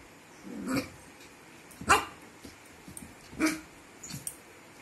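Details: Puppy barking in short sharp bursts at roughly one-and-a-half-second intervals, three main barks with a softer yelp near the end, in a quiet indoor setting.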